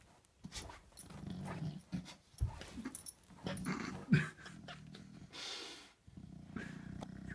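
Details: Buster, an English Bulldog lying stuck on his back like a turtle, makes deep throaty grunts and short growly huffs while struggling, with rustling and shifting in a small indoor room.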